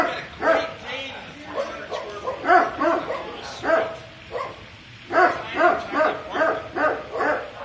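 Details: Dog in a second-floor guest suite, recorded 4 May 2019, barking indoors: about a dozen short, rough barks in two bursty runs with a brief lull between them, plus faint room noise.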